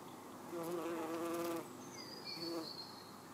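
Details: Red-tailed bumblebee (Bombus lapidarius) visiting purple toadflax flowers: a low, steady droning buzz swelling for about a second, then a shorter second burst, with high bird chirps and outdoor background hiss.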